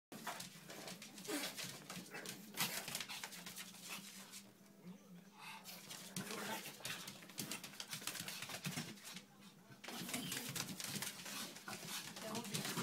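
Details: Two young sibling Pekingese dogs give scuffling grunts, snuffles and faint whimpers while wrestling and running around, with a person's voice now and then.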